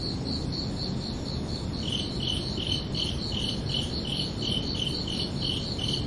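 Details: Crickets chirping under a night sky on a summer evening: high, evenly spaced chirps about three per second, with a second, slightly lower chirp line joining after two seconds, over a soft low rumble.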